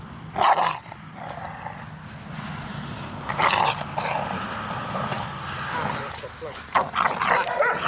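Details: Barks of a Pit Bull during encounters between an aggressive four-month-old female puppy, Dea, and adult dogs, including a four-year-old Dobermann, Rey, and a three-year-old male Pit Bull; loud, rough barks erupt about three seconds apart, with people talking throughout.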